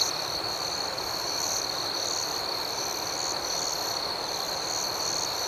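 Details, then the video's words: Nighttime crickets keep up an even, unbroken high-pitched trilling. A rhythmic pulsing chorus sits on top, with no single caller rising above the rest. "Soothing Cricket Sounds"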